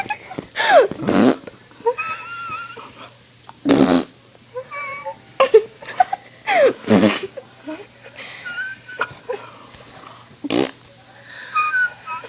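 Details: Pet dog reacting to someone imitating fart noises: loud breathy blown bursts alternate with thin, high, wavering whines drawn out between them.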